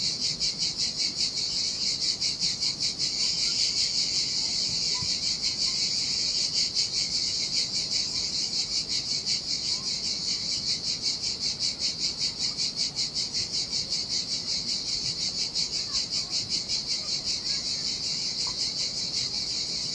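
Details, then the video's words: Summer cicada chorus at a deserted beach in Sardinia, a dense shrill buzz throbbing in even pulses, roughly 158 a minute, with only a faint wash of sea in the background. "Ocean Waves & Cicada Sounds"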